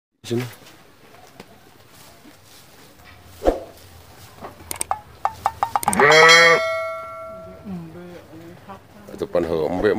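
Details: Angry goat being fed freshly cut grass: a loud, wavering, harmonic bleat near six seconds, followed by a weaker bleat, with scattered clicks and knocks beforehand and human voices at the end.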